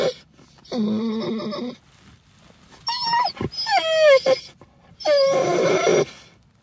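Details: Pet dog howling with excitement on arriving at the vet, which he loves: three bursts of warbling, harmonic howls and grumbles, each about a second long, the middle ones sliding downward in pitch, separated by short quiet gaps.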